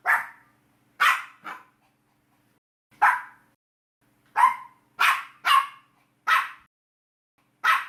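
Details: Dog from a compilation of many breeds: sharp, high-pitched single barks, some paired, spaced irregularly over eight seconds with silence between.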